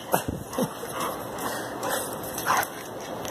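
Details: Playful Boxer, happy to see its owner, gives short sliding yelps falling in pitch, then a pause and a burst of higher whining near the end, in an indoor setting.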